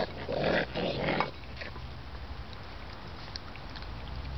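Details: Baby raccoons held by a licensed wildlife rehabilitator for release back to the wild, eating grapes and eggs; a harsh, layered chittering burst fills the first second, then fades to quiet room noise with faint soft clicks.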